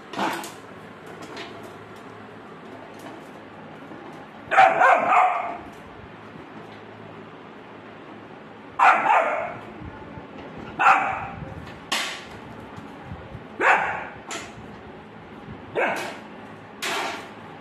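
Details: Young Rottweiler barking at a bucket, a few short barks separated by pauses of one to two seconds, some doubled, with quiet room noise between.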